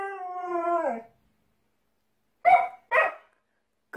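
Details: Husky lets out a short, level howl of about one second that drops off at the end, then after a silence gives two quick, loud barks in succession.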